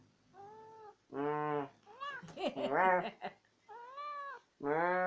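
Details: Pet cat Tammy, a yappy chatterbox who always has to get the last word in, trades wavering, arched meows back and forth with a lower human voice in a small room. Some calls are bent and warbling, others steady.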